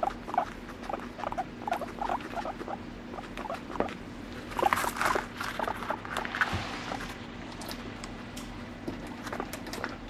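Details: Pet guinea pig at home, no background music, giving a rapid run of short, sharp squeaks and chirps in quick bursts, with pattering rustles and a steady low hum underneath.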